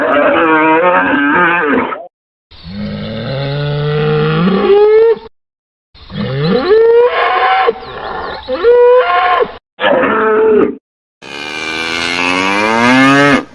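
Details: Cattle bellowing loudly. The moos climb steeply in pitch and waver, some drawn out and others clipped, ending in a long, high, strained bellow.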